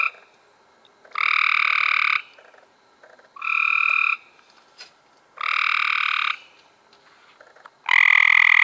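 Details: Cope's gray treefrogs in May 2016 giving loud, fast-pulsed buzzy trills about one second long, repeated roughly every two seconds, the final trill loudest and closest.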